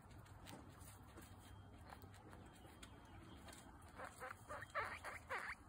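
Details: Guinea pig family, mother Butter with her babies Lion, Tofu and Mochi: after a few seconds of soft rustling and patter, a run of about five short, bright squeaks repeats in quick succession near the end.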